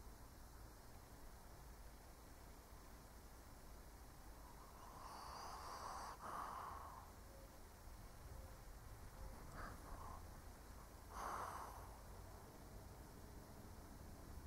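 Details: An aged Shih Tzu dozing, giving soft, muffled, airy snores spaced several seconds apart, a longer rasp near five to seven seconds and shorter puffs around ten and eleven seconds, against faint steady background hiss.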